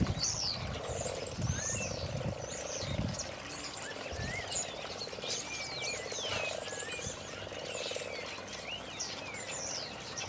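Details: Frogs gathered on a garden pond in early spring 2012 give low, purring croaks in pulsed bursts that swell and fade. Garden birds whistle and chirp above, and water splashes now and then.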